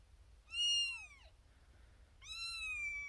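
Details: Xena Thumbalina, a female kitten born April 1st, 2021, first of her litter, in a birthing box with six other kittens, calling for attention from her owner: two loud, high, drawn-out meows, the first falling at the end, the second held level.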